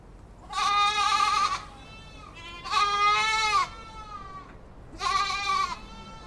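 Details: Three long, trembling goat bleats, each about a second, rising slightly and tailing off, spaced around two seconds apart over light background noise.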